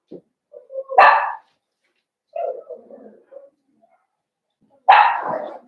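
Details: Blenheim Cavalier King Charles Spaniel puppies from a litter of five born at New Year, in a home puppy pen: a short whine, then two sharp, harmonic yelps about four seconds apart, with soft whimpers between them.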